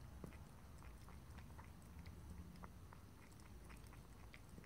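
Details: Indoor cat licking and lapping water, faint irregular wet ticks scattered through the clip against a constant low-pitched hum, no talking.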